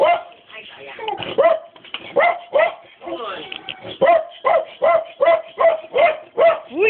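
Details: Rhythmic, evenly spaced barks from a Dobermann, about two or three per second, clear and high, with human voices mixed underneath.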